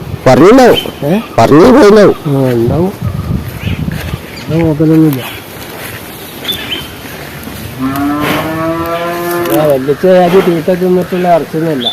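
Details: Male water buffalo bellowing several short, wavering moos between stretches of men's conversation, one longer drawn-out call near the end.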